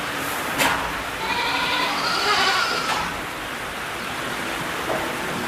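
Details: Bleating from black goats at a Jeju farm holding about 3000 of them, rainy weather: a long wavering bleat through the middle with faint overlapping calls, clicks and steady rain noise behind.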